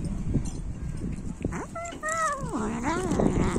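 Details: Domestic cat eating raw chicken, giving a short tonal meow with clear overtones that rises, holds, then bends down and up again, over chewing noises and a low background rumble.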